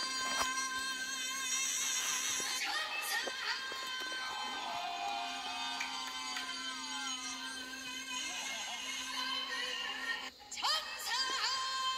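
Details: Music with sliding synthetic vocal tones and sustained high notes plays throughout, briefly dipping near the end, with no animal sounds.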